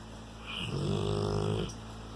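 A Rottweiler snores with a low, rumbling rasp lasting about a second.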